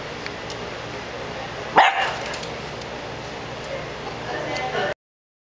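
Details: A Jack Russell Terrier tormenting Brussels Griffon puppies gives one sharp, high yip, then quiet background hiss.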